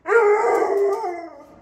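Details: Pet Pit Bull at home 'talking' to demand carrots from the fridge: one sustained, harmonic, howl-like moan lasting over a second, steady and then slowly fading, with its owner's voice before and after.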